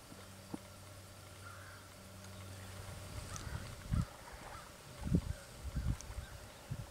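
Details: Wild boars in the Golan Heights, Israel, filmed with a Canon 1DX: low, short grunts come in several bursts through the second half, after a steady low hum in the opening seconds.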